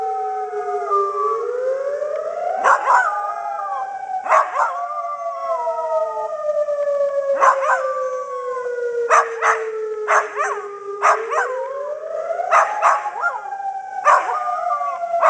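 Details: A Pembroke Welsh Corgi howls in wavering, rising and falling notes along with a loud, slowly sweeping civil defence siren during its monthly test.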